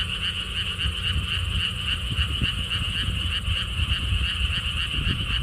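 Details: Frogs calling at the Siheung lotus theme park beside a stone wall path in South Korea: a dense, steady pulsing chorus in a high band, with gusty low wind rumble running underneath throughout.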